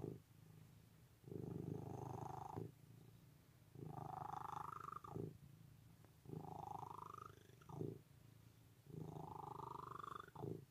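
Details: Close, loud purring of a cat, a low buzzing drone pulsing in four strong breath cycles, each swelling phase climbing slightly in tone before cutting off.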